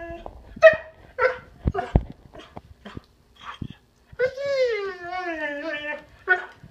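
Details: An Irish Setter kept as a pet whines hard after scattered short yips and clatter; the main whine is a drawn-out, quavering tone that slides slowly downward for about two seconds.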